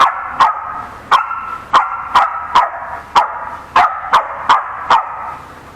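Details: Six dogs squabbling at home, started by a 4–5-month-old Samoyed puppy bullying a stubborn herding-breed Corgi. Loud, clipped barks repeat steadily, about twelve in six seconds, some in quick pairs, with nothing else heard.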